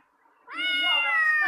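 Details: A pet cat answers another cat's voice with a single loud, sustained meow that swells in quickly, holds a steady tone and sags a little at the end, indoors.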